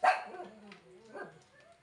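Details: Yorkshire Terrier giving one sharp, loud bark at the very start, followed by a fading low whine and a softer second yelp about a second later; indoor setting, no other clear sounds.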